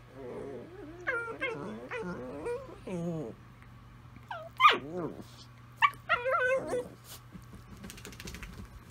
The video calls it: Italian Greyhounds singing to each other